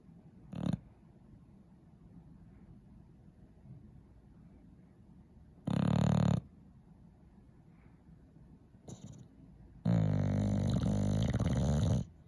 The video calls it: English bulldog snoring